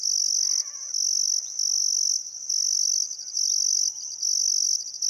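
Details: Crickets in Outback Queensland's Welford National Park on the Barcoo River, summer sunset: bright, sharp trill bursts with short breaks, plus a faint warbling bird note and other quiet bird chirps.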